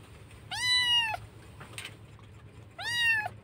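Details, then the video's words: Rescued kitten in Indonesia crying loudly, missing its mother; two long, high, wavering meows about two seconds apart, each arching slightly downward, with a quieter sound between and soft low background hum. "anak kucing menangis keras rindu ibunya"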